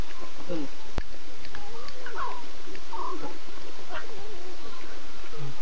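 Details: Nkuhuma lion pride at 02:50 a.m., September 8: six talkative cubs and three adult females contact calling and looking around. Several wavering, rising-and-falling mewing calls, some with harmonics, are spaced through the stretch over a constant low background hum.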